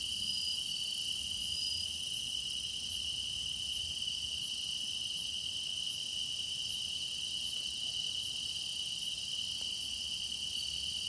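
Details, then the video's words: Meditation recording of grass insects as the season deepens, a long even high trill with regular fainter chirps about every three-quarters of a second and a few brief whistled tones, low rumble underneath. "깊어가는 풀벌레 노랫소리"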